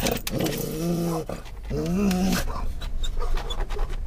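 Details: Scottish Terrier riding in a car, October 2010, reacting to stimuli outside: two drawn-out, tonal whining grumbles, the second rising in pitch, followed by quieter breathy panting against car noise.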